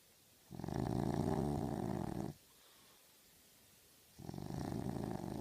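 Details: French bulldog asleep and dreaming, snoring loudly: long, rough, rattling breaths lasting about two seconds each, with a quiet pause before the next one starts.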